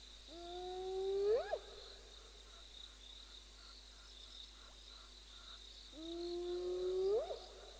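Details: A hidden spotted hyena (Crocuta crocuta) calls from the centre of an impala herd in the African bush, giving two long, low whoops that each swell and sweep sharply upward at the end.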